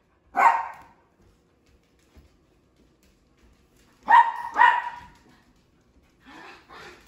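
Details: Playful barking from a female sheprador sharing the house with two other dogs: one loud single bark, a long pause, then a quick double bark and two softer, breathier yaps at the end.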